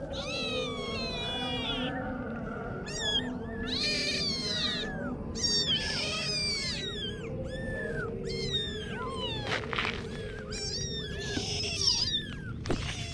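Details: Kittens calling: a persistent series of shrill, bent meows, some short and some drawn out, repeated every second or so throughout, with a low murmur of background noise beneath.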